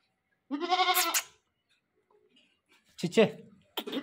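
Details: A newly bought goat that keeps calling gives a short, quavering, nasal bleat under a second long, followed by a quiet gap and then human voices and handling noises.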